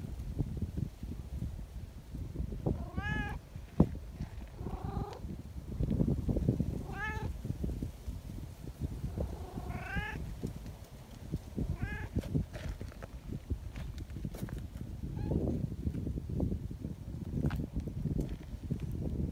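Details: Affectionate community cats at an outdoor gathering, greeting and wanting petting; a few clear arched meows spaced a couple of seconds apart over steady low rustling and background noise.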